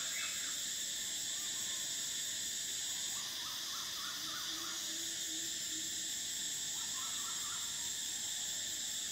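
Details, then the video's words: Cicadas in summer: a steady, shrill, high-pitched drone holds throughout, slightly shifting in tone partway, with faint short chirping notes and a soft low hum underneath. "Cicadas: the sound of summer"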